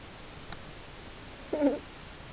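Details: Kitten giving a single short, soft mew about one and a half seconds in, a brief wavering tone with a few harmonics, set against quiet indoor hiss, with a faint click just before.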